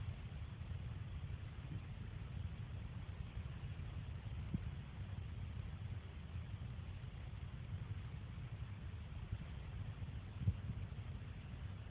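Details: Quiet low hum and background hiss with one soft knock near the end, no squeak or animal call.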